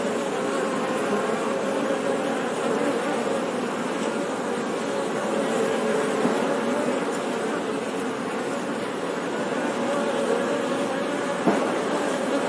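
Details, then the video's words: Honey bees buzzing in a steady, dense hum with strong low drone bands, no pauses, one soft click near the end. "Bee Sound 🐝 | Sonido de Abeja | मधुमक्खी की आवाज़"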